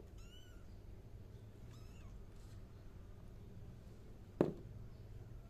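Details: One clear high kitten meow at the start, then a fainter second cry, followed by quiet hum and a single sharp knock.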